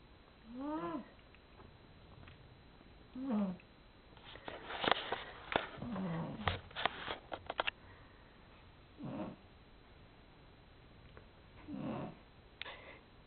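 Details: Domestic cat snoring while asleep: soft nasal snores with squeaky, whistled rising-and-falling tones, one about every three seconds, and a run of sharp clicks and rustling in the middle.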